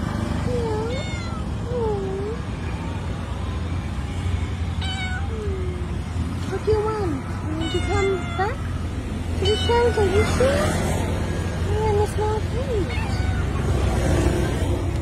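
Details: Street cat at night begging for food, giving repeated short meows every second or two, some bent and wavering, while traffic rumbles steadily in the background and a voice talks.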